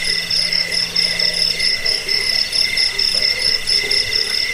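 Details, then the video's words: Cricket chirping meant as a rat repellent, sleep aid and songbird tutor: rapid shrill trills stacked at two high pitches, beating in quick regular bursts, with a faint low hum early on. "Suara jangkik pengusir tikus pengantar tidur"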